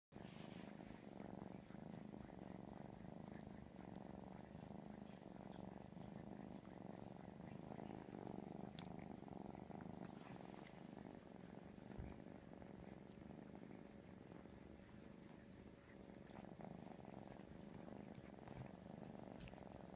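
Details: Kitten purring continuously while an older cat grooms and bathes it, refusing to let it leave: a soft, steady low rumble throughout with faint licking and rustling sounds.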